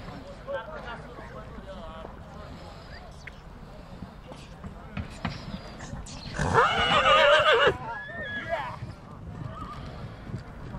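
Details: Stallion from Satu Mare, Bucovina, 2022. A loud, harsh, trembling neigh lasts about a second amid background speech and a low hum of people outdoors.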